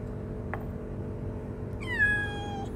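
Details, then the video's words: A shy, hungry stray kitten living on the street gives one clear meow of under a second, starting high, then falling and levelling off, richly harmonic, after a soft click and a brief quiet stretch. "Cute shy kitten living on the street is very hungry"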